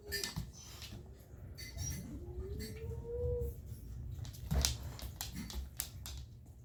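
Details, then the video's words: Kitten producing odd noises: a single rising, whining cry that climbs gradually and ends abruptly, among scattered taps and rustling in a room. "Kitten making strange noises"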